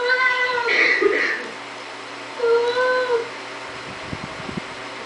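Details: Siamese cat opening a door indoors, with two meows: a strong wavering cry, then a shorter falling one, followed by faint knocking or scraping sounds.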